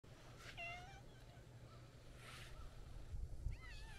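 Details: Affectionate white-and-brown street cat meowing as it walks up by a roadside planting: a short rising-falling meow near the start and another brief one at the end, soft and partly masked by steady low hum and outdoor background.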